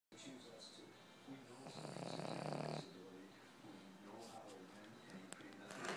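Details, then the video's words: Boston Terrier dog snoring indoors, a single rough, droning snore lasting just over a second with a buzzy engine-like rumble, framed by soft breathing and quiet human voices before and after. "Boston Terrier Snoring"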